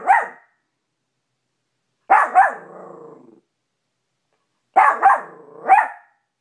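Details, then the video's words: Maltipoo named Cash barking at his own reflection in a bedroom mirror, newly discovered; sharp yappy barks come in clusters of one to two, separated by about two seconds of quiet, one bark trailing into a short growl. "Cash maltipoo barking at mirror"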